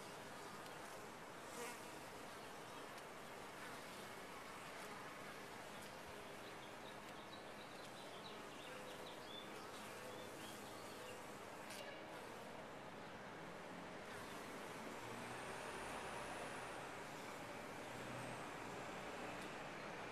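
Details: A top-bar hive of honey bees fills the air with a dense, level drone of massed wings, and a thin high whistle-like sweep passes faintly late on.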